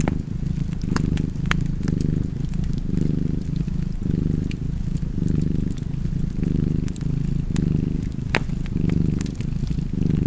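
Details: Domestic cat purring beside a fireplace: a low, continuous rumbling purr that swells and fades with each breath, cycling roughly every second or two, overlaid with sharp, scattered crackles and pops of burning wood.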